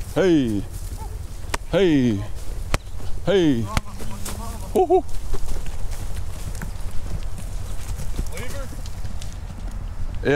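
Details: Brahma, Hereford and Brangus cattle rounded up on a farm to sort calves and sell older cows; several deep, drawn-out moos with sliding harmonics in the first four seconds, then dusty commotion, hoof clatter and a man calling to the cows.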